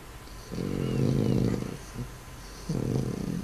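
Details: Klex, a domestic cat, snoring while asleep indoors: rough, buzzing low snores, one long breath of about a second and a half, then a short pause and another snore starting.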